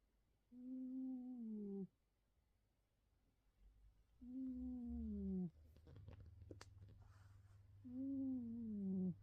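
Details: Betty, a male Bengal cat sleeping face down, snores with low, tonal, slightly falling hums lasting over a second each, repeating roughly every three and a half seconds, with a short burst of noise between breaths in a small quiet room.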